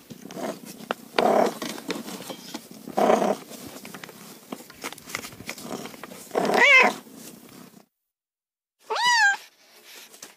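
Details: Cat meows heard over a rough, noisy background of rustling and low grumbling sounds; two distinct meows stand out near the end, the last a sharp, rising-then-falling cry after a brief silence.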